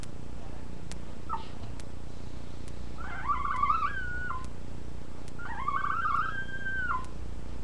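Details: Puppies being settled by their mother for nursing; a short squeak, then two sustained, quavering whines about two seconds apart, each rising and falling slightly, over low indoor hum.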